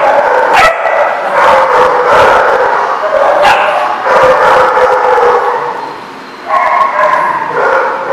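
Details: A pack of dogs barks and yips in dense overlapping bursts, easing briefly before a new round of higher barks resumes.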